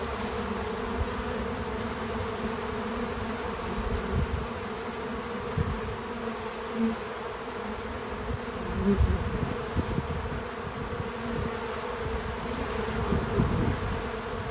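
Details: A steady low hum from bees working a feeder outdoors on a small farm, rising in a few short surges as bees fly close, with a soft background hiss.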